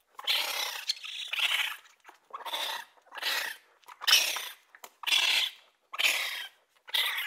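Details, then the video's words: Raccoon calls in eight raspy, breathy squeals, each roughly half a second long, rough and high-pitched, arriving in quick uneven succession with brief pauses between them. "Raccoon sounds | The amazing sounds of raccoons | As the raccoon says"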